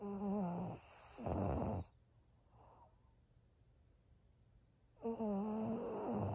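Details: Maria, a 13-year-old senior female fawn Pug in Japan, snoring: two raspy, tonal bursts rich in overtones in quick succession, then a silent pause of about three seconds before another long rasping breath.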